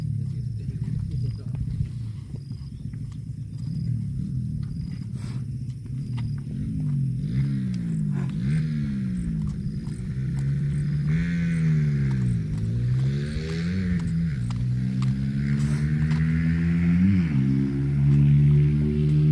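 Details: Cows mooing loudly and repeatedly, deep harmonic moos swooping down and up in pitch, several overlapping in the second half, with faint voices and rural background noise.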